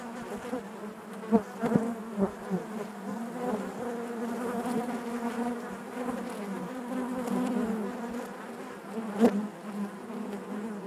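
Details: Steady hive hum of many honey bees, a thick low drone with stacked harmonics, punctuated by short sharp buzzes of single bees flying past around one to two seconds and again near nine seconds.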